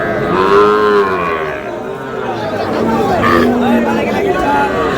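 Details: At a cattle market in Madaripur, Bangladesh, on 14 May, a lowing call rises among market cattle where a Sahiwal breed bull is sold. One drawn-out, arched moo is heard, with a crowd chattering and people talking close by.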